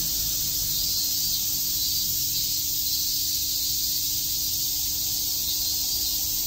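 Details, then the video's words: Summer cicada chorus at Shakujii Park in Tokyo, a constant shrill buzzing wash of many insects with no pauses, steady in loudness throughout, over a soft low background rumble. "Cicada chirps"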